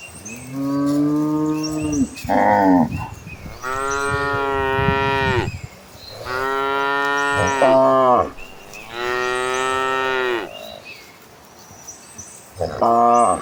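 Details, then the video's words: Herd of cows running toward green pastures, lowing repeatedly: long harmonic moos of varied pitch, some rising then falling, several overlapping animals calling a few seconds apart, with faint high chirps in the background. "the sounds of gentle cattle"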